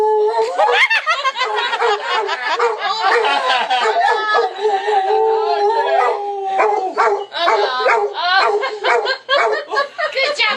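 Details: Cody, a pet dog who howls each time the phone rings, gives drawn-out howls mixed with choppy vocal bursts, while people talk and laugh nearby indoors.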